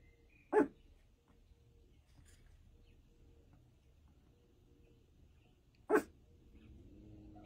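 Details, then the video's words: A female puppy, once a weak "water puppy" who now thrives, barks at her own reflection in a mirror: two sharp, high single barks about five seconds apart, with quiet between them. "Puppy barking on her reflection"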